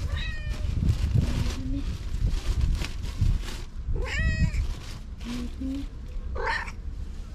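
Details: Stray cats and kittens outdoors during a daily feeding. Several high, rising and wavering meows come in short bursts over a steady low rumble of background noise.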